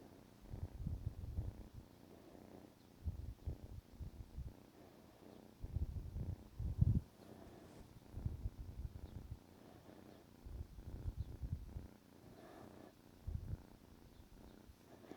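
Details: Negi, a pet kitten about 14 weeks old, purring while waking its owner in the morning; low rumbling bursts in separate spells of a second or so, with quiet gaps between them.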